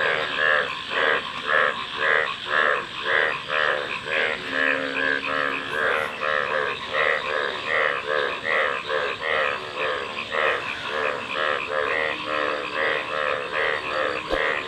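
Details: Frogs calling together, a dense chorus of short harmonic croaks pulsing roughly twice a second, overlapping voices stacked across low and mid pitches with steady background hiss.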